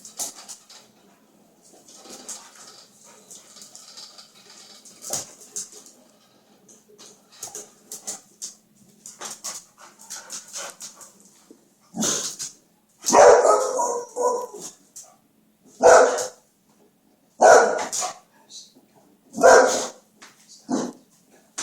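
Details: Boxer dog indoors, upset when a laser toy machine stops, giving loud, harsh barks in the second half, about one every two seconds, after quieter clicks and scuffles.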